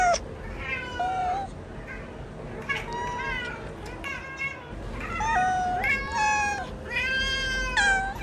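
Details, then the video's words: Newborn kittens calling together, a dense overlapping chorus of short and longer mews, some with a wavering, bent pitch, continuing steadily throughout. "Toque SONS de gatinhos novos MIANDO | efeito sonoro de gato miando"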